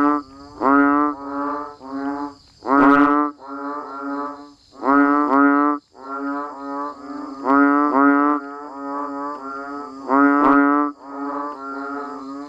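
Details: A rain-time chorus of banded bullfrogs and frogs: repeated nasal, groaning notes in quick series. Louder calls with sharp onsets stand out every two to three seconds over a continuous overlapping chorus and a faint high whine.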